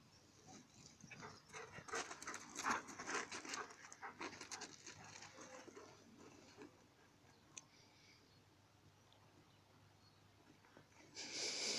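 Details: Two dogs fighting, the small Alice against the larger Indie: scattered breathy panting and scuffling bursts, busiest in the first six seconds, then a quieter stretch before a loud noise at the very end.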